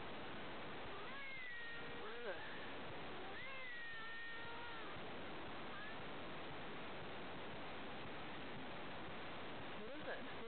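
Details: A male Manx cat playing with a stuffed toy dog gives a few soft, drawn-out meows that bend downward at the end. They come in two close calls early on and one faint call near the close, over a steady background hiss.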